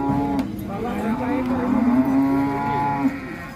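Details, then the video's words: Hefty cow coming down from a transport truck, giving a long, level, droning moo lasting over two seconds while music plays underneath and crowd noise murmurs. "INI DIA SAPI TN BIMASAKTI TURUN DARI TRUK OLENG"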